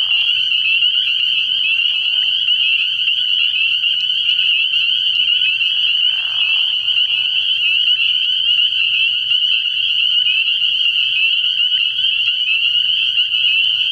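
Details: An early-season night at a frog pond full of spring peepers: an intense, steady high ringing of overlapping peeps throughout, with brief lower grating calls near the start and around six seconds in.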